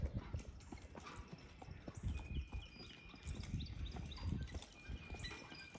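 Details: Percheron horse pulling while driven, dense low thudding hoofbeats with rumbling wheels or road noise and faint high squeaks.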